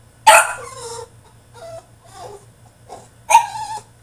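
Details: French Bulldog throwing a tantrum in his cage, starting with a sharp bark trailing into a whine, then soft muffled whimpers, and ending with another loud bark.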